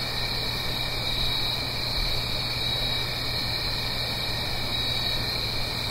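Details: Crickets singing on an autumn night in the Blue Ridge Mountains, uphill from a gentle stream: a steady, unbroken high trilling chorus in two tonal bands, over a constant soft rushing hiss and a low hum.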